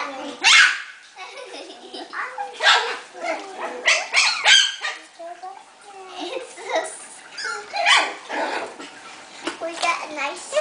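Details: Five-week-old Havanese puppies, indoors, giving short, sharp yips and squeaky bursts at irregular intervals, mixed with people talking close by.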